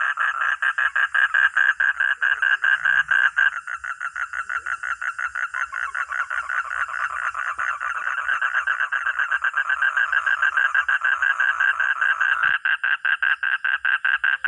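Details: Long, loud bout from a frog or toad: rapid rattling croaks repeated several times a second, nearly continuous, with slight pauses and changes in pace, one brief click near the end.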